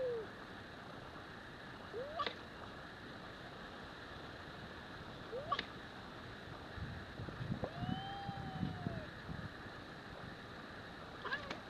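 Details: Scottish fold kitten squaring off against a Singapura cat in a fight: short arching mews every few seconds, then a longer bowed cry near the middle, amid soft thumps and scuffling against constant low hum.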